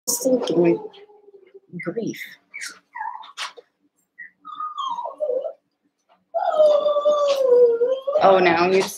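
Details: Seven-week-old Cavalier King Charles Spaniel puppies, eight littermates together in a pen, wrestling and playing: drawn-out whining tones gliding downward, short yips and a harsh burst at the end, with human voices in between.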